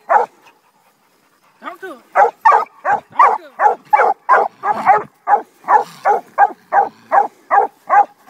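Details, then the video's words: Two young Redbone Coonhounds, seven and eight months old, on a raccoon. After a short quiet gap they give a fast, steady run of about seventeen loud, chopping barks, roughly three each second. "7 & 8 month old Redbones on coon"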